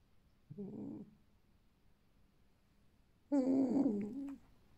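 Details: Alf, a captive male red fox with bright fiery fur, bred on a fur farm and kept at home, making his lazy evening 'ururu': a brief low warbling moan, then a louder, longer wavering one three seconds later, in a quiet room.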